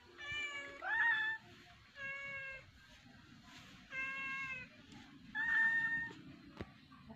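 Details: Domestic cat playing with a fish, giving four drawn-out, clear harmonic meows about one to two seconds apart, some bending upward at the start, over a faint background hum.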